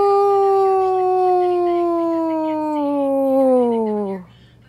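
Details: A domestic dog gives one sustained howl lasting about four seconds, smooth and tonal, gliding gradually downward in pitch before cutting off into near silence.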